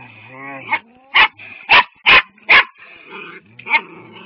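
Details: Dogs barking at a cat: a rapid run of five loud, harsh barks about half a second apart, with whining and a low growl between them.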